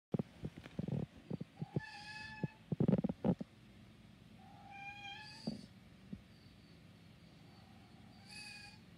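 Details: Black cat meowing three times, each meow a clear harmonic-rich tone, with rustling and tapping handling noises in the first few seconds.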